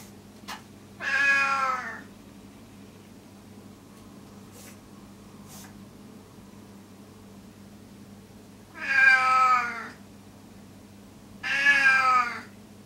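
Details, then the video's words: Elderly rescued male cat with FIV, caged indoors and calling incessantly in a loud voice likened to a crow or sheep; three harsh, rich meows of about a second each, spaced several seconds apart, with a low room hum. "Old Rescued Cat Gon Meows"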